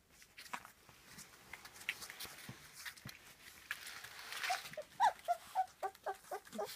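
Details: Three-week-old puppies of the J litter, quiet at first, then a quick run of short, high squeaky whimpers, about two per second, over soft room noise.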